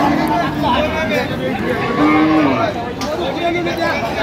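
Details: Cows and calves at Ambari cattle market, 24 October 2025: short low moos near the start and around two seconds, under steady chatter of buyers and sellers bargaining.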